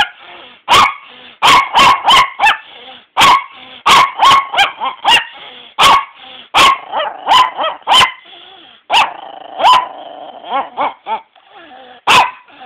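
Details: A long stretch of grumpy barking from Walter, a pet dog resisting waking at noon and being taken downstairs to the couch; rapid, uneven barks mixed with moaning, drawn-out whines and yowls.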